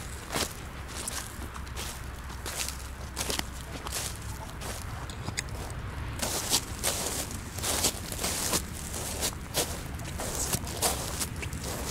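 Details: Crunching footsteps and rustling on a cold woodland path in winter, with soft swishes and no animal calls.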